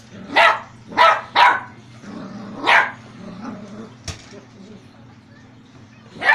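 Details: Poogle, a poodle-beagle cross, giving a few loud barks early on, a pause with quieter sounds and one sharp click, then a final bark at the end over a constant low hum.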